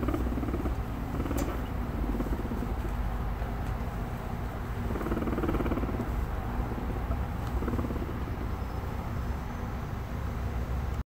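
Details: A guinea pig being stroked from behind makes a deep, rumbling brrr, a fast vibrating purr held low and steady, over faint rustling and a dull background hum; recorded in 2018.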